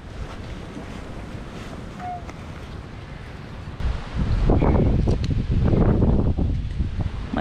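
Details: Strong wind buffeting the microphone, maybe with surf, grows louder halfway through beneath muffled speech, and no animal is heard.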